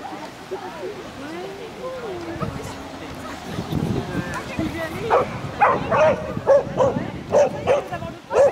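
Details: At an intermediate agility jumpers course in Terrebonne on 07/10/2016, the Shih Tzu Konbu gives a burst of short yapping barks in the last few seconds, after a stretch of human speech.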